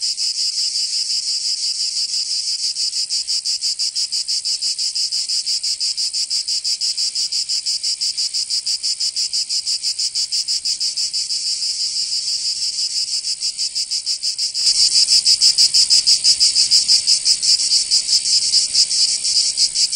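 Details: Cicadas singing in summer in Provence, southern France: a dense, continuous high-pitched buzzing drone with rapid pulsing, growing louder and harsher after about fifteen seconds.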